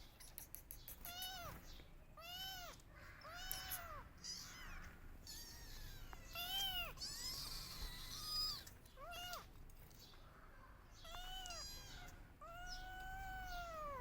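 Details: Kittens crying loudly for their missing mother, searching for her: repeated arched, harmonic-rich meows, rising then falling, several overlapping callers about once a second, with some higher cries and clicks between.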